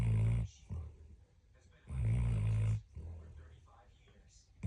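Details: Sleeping dog snoring indoors: loud, low, buzzy rasping inhalations roughly every two seconds, each followed by a softer, shorter rumbling breath out, in a small quiet room.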